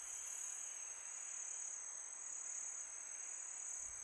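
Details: Crickets chirping on a peaceful summer night: a continuous, shrill, very high-pitched steady trill with no breaks, layered as several tight tones, over a soft, even background hiss.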